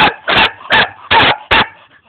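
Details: A young German Shepherd in Jamaica gives five strong, evenly spaced barks, each short and harsh, roughly every third of a second, trailing into a faint whine at the end.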